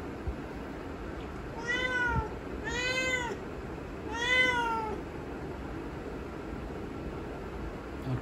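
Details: Domestic cat indoors meowing because it wants to go outside, three drawn-out, arched meows about a second apart, each rising then falling, over a steady background hum.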